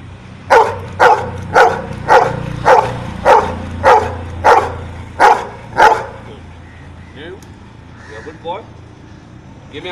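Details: Pet dog trained to count, answering a number question: ten sharp barks in a steady series about every half second over six seconds, then quiet with faint human voice and a brief higher sound near the end.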